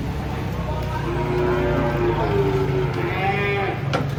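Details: Giant cattle being unloaded from a truck: a drawn-out, rising-then-level moo holds for about two and a half seconds over a steady low engine rumble, ending with a sharp clatter.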